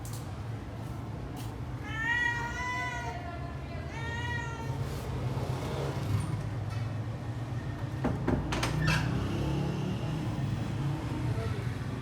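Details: Hungry kittens and their mother being fed: two clear rising-then-falling meows around two and four seconds, followed by clatter and steady low background rumble.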